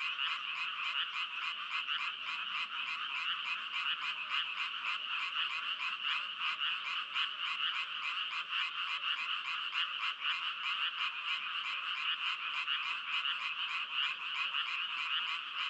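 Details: Many frogs croaking at once, their raspy, pulsing calls merging into a steady, high, buzzing trill that never pauses, with no other sounds.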